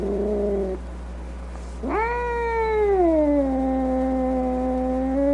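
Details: Upset cat with a brief low wail, a pause, then a rising howl that settles into a long, level, moaning tone.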